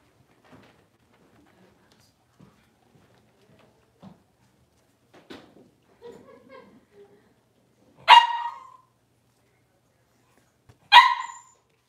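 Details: Puppy pen of six-week-old Cavalier King Charles Spaniels during deworming and toenail trimming: faint shuffles and small clicks, then two sharp yipping barks about three seconds apart.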